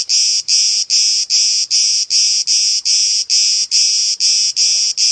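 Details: Cicadas chirping: loud, high, hissing buzz pulses, each lasting under half a second, repeated steadily about two to three times per second with no other sounds.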